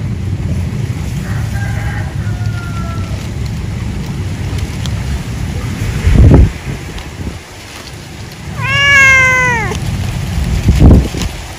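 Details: Domestic cat at feeding time after work, in an animal husbandry setting: a faint, drawn-out meow early on, then one loud, arching, rising-and-falling meow near the end, over a low rumbling background with a few thumps.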